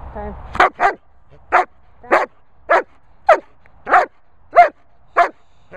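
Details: German Shepherd barking on command "speak" during obedience training at a Worcestershire countryside kennel. It fires off about ten sharp, rough barks in a steady run, one roughly every half second, after brief human speech at the start.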